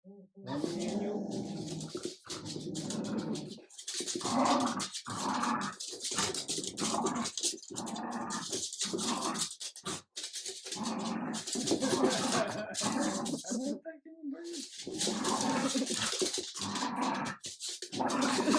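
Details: Adult Jack Russell terrier and French bulldog puppy Ubi meeting again, the Jack Russell showing the persistent puppy who is leader; rough, throaty growls and snarls in rapid bursts with short gaps throughout, some high whimpery notes, light human voices.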